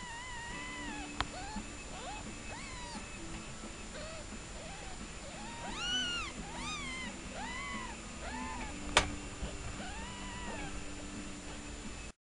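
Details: Newborn kittens give repeated high, arched mews, sometimes in quick overlapping clusters, over a steady low electrical hum and a couple of sharp clicks.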